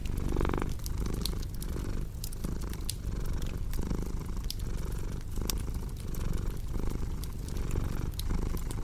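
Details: Steady deep purring from a domestic cat, pulsing with its breathing, accompanied by crisp pops and crackles of a wood fire.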